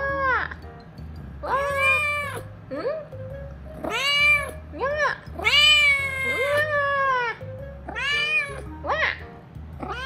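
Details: Pet cat Chiro, who acts grown-up before a kitten but babyish with her older sister cats, gives repeated complaining meows, each rising then falling in pitch, several long and quavering, with quiet music playing beneath and occasional human speech.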